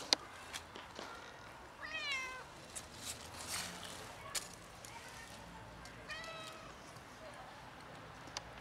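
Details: Two socialized cats, once nearly feral, one black, one ginger-white, asking for food with two bending, rising-and-falling meows several seconds apart, amid sharp clicks, taps and light rustling.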